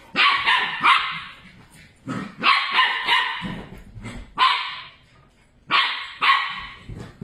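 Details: Two puppies chasing each other around a table make rapid harsh yapping barks and growly yelps in loud clusters, several per second, separated by brief pauses with padding and scuffling of play.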